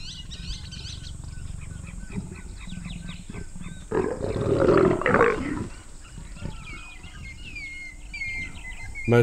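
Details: Leopard pair mating high in a sausage tree, Moremi Game Reserve, Botswana: low throaty growling builds into a loud, harsh snarl lasting over a second, then fades back to rumbling, with small birds twittering around.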